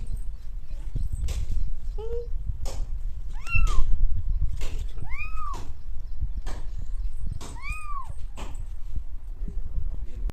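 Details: Cat in India giving several short, rising-and-falling meows, some soft and brief, amid frequent clicks, thumps and low rumbling noise.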